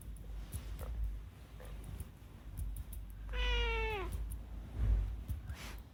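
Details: Unagi-kun, a rescued pet cat, chatting: one clear, tonal meow lasting under a second, steady then dipping slightly at the end, amid quiet low background rumble and faint soft clicks.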